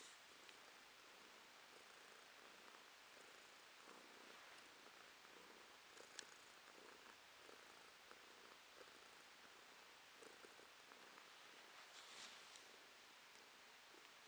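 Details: Romashka, a pet cat, purring: a soft, steady, even purr lasting throughout, with faint regular pulses and a hissy background.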